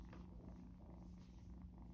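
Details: Three female foster kittens, a gray one and a little black one purring, give a steady low rumbling purr without a break, together in their room after three days of socializing; the larger black kitten stays skittish.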